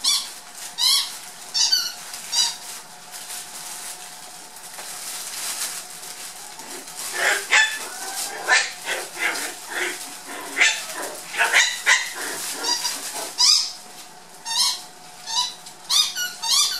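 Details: Black miniature poodle puppies, seven and a half weeks old, from Sasha's first litter, play in a tunnel while Meghan watches. Their shrill squeaky yips and squeals come in quick bursts over scuffling and clattering.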